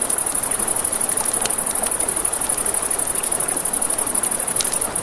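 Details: Night crickets chirp by a riverside campfire, a high, rapidly pulsing trill running continuously, with faint crackles and snaps from the fire scattered over a steady rush of river water.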